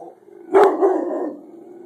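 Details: Rottweiler indoors barking at a chicken baking in the oven: a single short, sharp bark followed by a lingering low growly tail.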